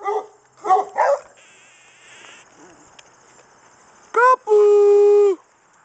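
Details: Pet beagle talking on command at supper time: a few short yips and barky bursts, a pause, then a rising yelp followed by a long, steady, drawn-out howl-like tone; a person's voice announces supper just before.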